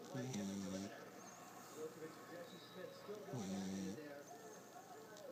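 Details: Stanley the puggle snoring: a loud, low, rumbling inhale near the start and another about three seconds later, each a harmonic buzz with an airy hiss above it, and soft breathing in between.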